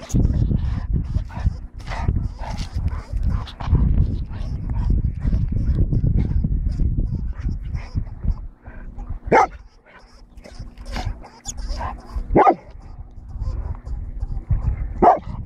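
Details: While hunting a lemming, a Golden Retriever lets out three abrupt barks spaced roughly three seconds apart near the end, after a stretch of low rumbling, snuffling and scraping noise.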